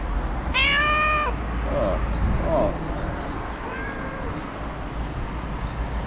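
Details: A homeless street cat in Morocco, hoping for food from the trash, lets out one long harmonic meow, followed by a few faint shorter sounds over steady street background noise.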